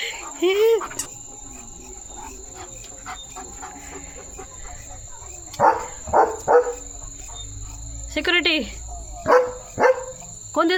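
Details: Leo, a pet German Shepherd, barking loudly and repeatedly in a series of sharp barks, one near the start and then clustered bursts later on, with a person speaking at times and a steady high electronic whine in the background.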